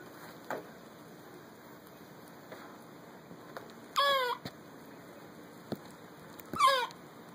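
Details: Olivia the squirrel squeaking back at a dog while eating a honey roasted peanut: two sharp, tonal, downward-bending squeaks about two and a half seconds apart, with soft rustling and faint clicks between them.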